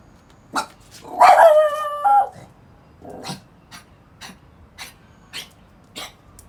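A dog with kennel cough gives one strained, hoarse bark that breaks into a raspy, whining tone.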